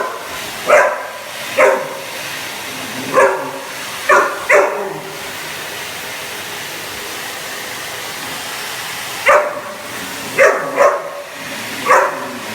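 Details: Cane Corso dog reacting to a hoover: sharp single barks in irregular bursts, two to three close together, with a gap mid-way, over a steady whooshing machine drone.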